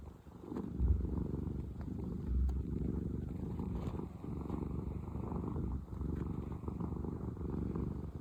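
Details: Contented domestic cat, one of the rescued sisters Pina and Piko, purring in a continuous deep rumble for about eight seconds, the vibration pulsing evenly with a few faint rustles and no other voices.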